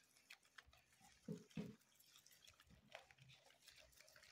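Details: Re-homed guinea pigs on their third day in a new home; two short, low grunting pulses come close together midway, set against a quiet background with faint clicks and dripping sounds.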